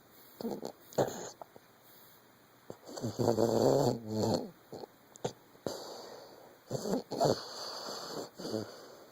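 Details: Snoring from Lucy, a 14-month-old Vizsla, during sleep: irregular short snorts and breathy puffs, one stronger rattling snore in the middle lasting over a second, uneven spacing throughout.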